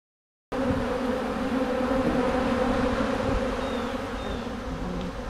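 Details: Many honey bees feeding on and cleaning honey off wax cappings after a honey harvest; a dense, steady hum with low droning tones, starting abruptly after a half-second of silence and continuing evenly throughout.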